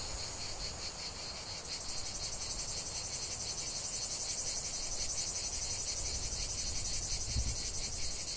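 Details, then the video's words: Cicadas in a lavender field: continuous high buzzing chorus with soft rapid pulses, growing slightly louder, plus a low knock near the end. "ce chant de CIGALES au cœur d'un champ de lavande"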